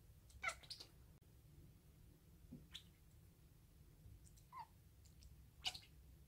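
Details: Indoor chattering from a five-month-old odd-eyed female Munchkin short-leg kitten that chirps as soon as a toy appears, copied from other household cats; sharp clicky bursts at the start, a short falling note midway, another burst near the end.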